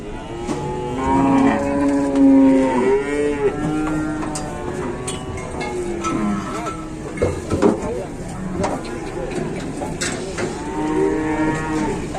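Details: Squeezed cattle at a market calling repeatedly: drawn-out, wavering moos from several animals overlapping throughout, over steady crowd and engine noise.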